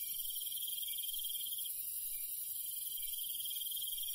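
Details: Night insects in rural countryside, crickets among them: a continuous high chirring wall of sound, with a louder trill lasting about one and a half seconds before breaking off and resuming. Faint low noise below.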